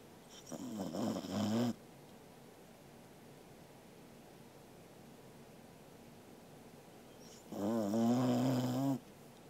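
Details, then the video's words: Sleeping Corgi named Angela, 13 August 2021: a pair of grating snores roughly six seconds apart, the second longer and stronger, with faint background hiss between them. "Angela is snoring イビキをかくアンジェラさん"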